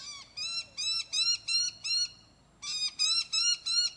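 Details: Chocolate silver Ocicat kitten, four months old, walking outdoors on a leash and harness, calls in a steady string of clipped, high meows, about three per second, pausing briefly before another run of four.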